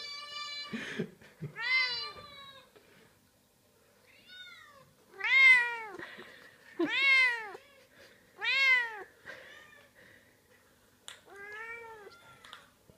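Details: A house cat responds to other cats heard on a computer with a series of arched, wailing meows, roughly one every one to two seconds, rising then falling in pitch, with fainter meows between the louder ones.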